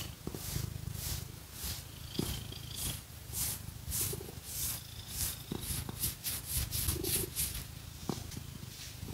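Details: House cat purring while scratched with fake nails; a low even purr continues under bursts of brisk scratching strokes and occasional nail taps, with no talking.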